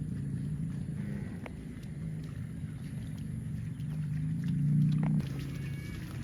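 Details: Cows running in the fields, one giving a low drawn-out moo that swells near the end, over steady low rumbling and scattered clicks and knocks.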